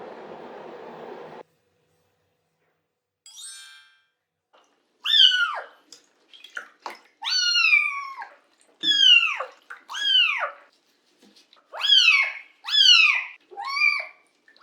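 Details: Cat at bath time indoors, a brief watery splash, then a run of about eight high, plaintive meows, each sliding downward in pitch, coming roughly every second with short gaps of silence.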